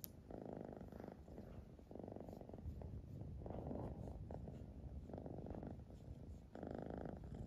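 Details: Siamese cat purring steadily, low rumbling pulsed bursts rising and falling with each breath, a new cycle roughly every one and a half seconds, in a quiet room.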